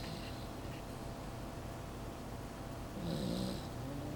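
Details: A sleeping Pembroke Welsh Corgi puppy gives soft, low rumbling breaths; toward the end one louder, rougher snore rises with a brief hissing rasp before the breathing settles back down.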